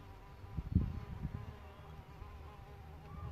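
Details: A droning buzz from a solitary bee at its bug hotel nest, a steady hum with stacked even overtones that holds for several seconds, broken by a brief low thump near the start.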